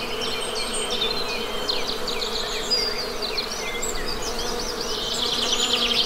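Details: An even, low buzzing of honey bees forms a constant bed beneath dense, overlapping high bird twitters and chirps that grow busier toward the end, in an outdoor natural setting.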